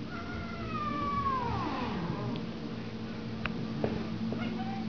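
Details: Two female domestic cats interacting indoors after a week together; one long meow slides downward over about two seconds, followed by a few soft clicks and faint short sounds, with low room hum beneath.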